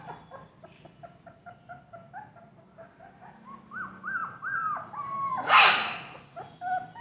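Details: Golden and black Labrador Retriever puppies offered for sale in Vijayawada, Andhra Pradesh, India. Short, high, wavering whines come in quick succession, some falling in pitch, with one louder, harsh yelp near the middle.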